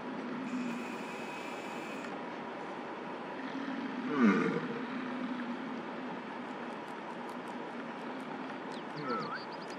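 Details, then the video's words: Rutting bull American bison in Lamar Valley, Yellowstone National Park, in summer, vocal near a female while stopped traffic waits. One low, growling bellow midway, over engine drone, with faint bird chirps near the end. "Huge Bison Bellows at our Car in Yellowstone National Park!"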